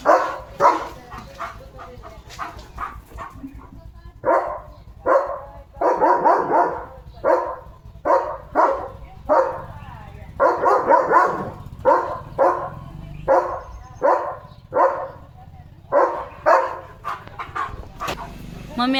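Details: German Shepherd pet dog barking to call its owner, described as calling mummy with worry and insistence; short harsh barks repeated irregularly, roughly one to two per second, over nineteen seconds, with a woman's voice talking in between.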